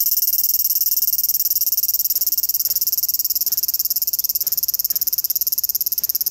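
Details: Loud cicada calling in the Japanese summer: a dense, piercing high buzz that pulses steadily at several beats per second without pause, with faint lower clicks underneath.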